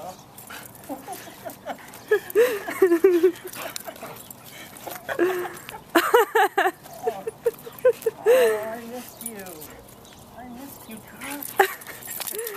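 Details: Belgian Malinois female reunited with her Marine owner after a seven-month deployment, giving rising and falling whimpers in bursts and yelping squeals between stretches of a woman speaking warmly to her.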